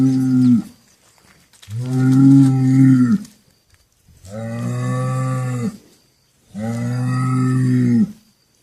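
Cattle give a series of long, deep moos, each held for over a second.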